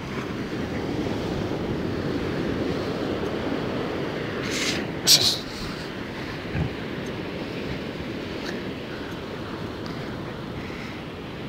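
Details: Wind and surf roar at a beach in Busselton, with a few brief knocks and faint voices, and no animal call.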